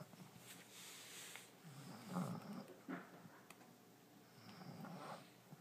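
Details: French Bulldog, female, deeply asleep in her new bed, snoring: soft, low, rasping breaths swell and fade in slow, irregular waves, quiet overall in a small indoor room.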